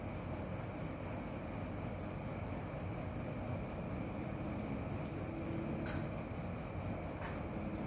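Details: Night-time cricket giving rapid, even high-pitched pulses, roughly four per second, with a faint low rumble beneath and two brief sharp clicks near the end.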